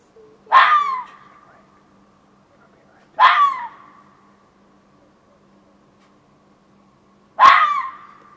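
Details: Fox calling in a back yard around 1:15 am, late June 2013: three harsh, hoarse screams about three seconds apart, each bursting loud and then trailing off. The night is otherwise quiet apart from a faint low hum.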